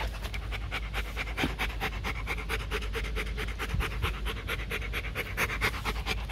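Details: Rapid rhythmic panting, about two breaths a second, from Bruno, a male breeding Rottweiler kept at a kennel in Hoàng Mai, Hanoi, Vietnam, as his handler repeatedly urges him in Vietnamese to sit up and give his paw.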